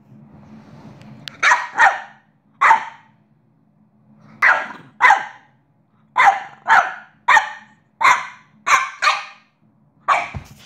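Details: A female French Bulldog, having a mad five minutes of playful mouthing at her owner, lets out a run of short, hoarse, raspy yappy barks, some in quick pairs, about one per second, over a faint low hum.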